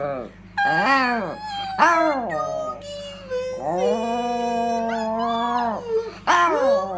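A Yorkshire terrier howls in long, wavering, sliding tones while a person sings nearby.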